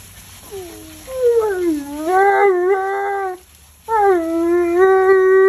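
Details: Bath-hating Alaskan Malamute named Tonka 'talks' while being washed: two long, wavering howl phrases whose pitch bends up and down like speech, with a brief silence between them.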